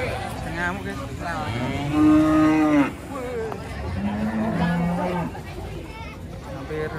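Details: A cow coming down from a truck at a busy market gives one loud, drawn-out moo that cuts off abruptly, then softer moos follow beneath human voices and background rumble.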